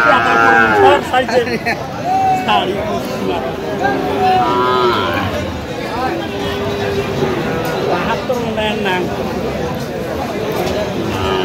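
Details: Sahiwal bull calves at a cattle market on 18 October 2025, bought by a farmer from Kurigram, Bangladesh; repeated tonal, wavering moos from several animals over constant crowd talk and bargaining voices.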